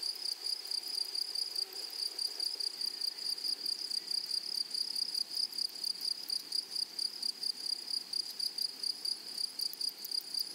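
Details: Insect chorus from grasshoppers in flowery prairie meadows, made of a continuous piercing high tone overlaid with quick rhythmic pulses, roughly two per second, steady throughout and without other noticeable sounds.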